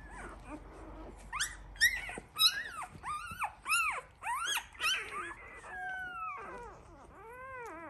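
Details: Week-old Labrador Retriever puppies in a litter give loud, high squealing whines, arching sharply up and down in rapid succession, about a dozen cries in a burst before softer wavering whimpers trail off at the end.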